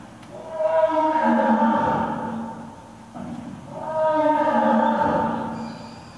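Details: Lions Earth and Silk in a roaring contest at Nonhoi Park, Toyohashi Zoo, Japan, after Oto leaves: two long, swelling bouts of layered, harmonic roaring, each about two seconds, voices overlapping like a chorus.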